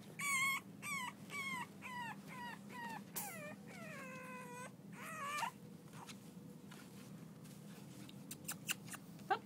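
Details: Six-week-old French Bulldog puppies from Reddy's litter playing: a run of short, high yelping whines repeated about every half second, then longer bending whimpers trailing off into faint clicks and rustling.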